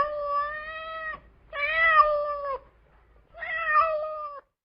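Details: A domestic cat (Felis catus) gives three long, drawn-out meows, each held about a second with a slight wavering pitch.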